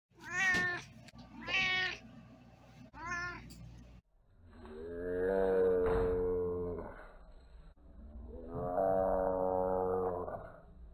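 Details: Domestic cat meowing: three short, bright harmonic meows in quick succession at normal speed, then two long, deep, drawn-out meows played in slow motion, steady and bear-like.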